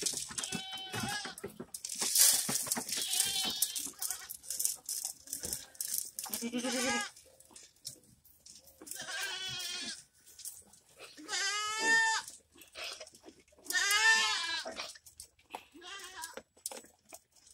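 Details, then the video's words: Goats on a ranch give several loud, wavering, nasal bleats. Each lasts about a second and comes in bursts around 6.5, 9.5, 12 and 14 seconds. Shorter bleats, clattering and rustling noises fill the gaps. "Cabras O Chivos"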